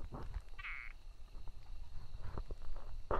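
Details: Brauer's tree frog giving a single brief, rasping burst early on, followed by a louder harsh note at the very end, amid low outdoor rumble and soft knocks.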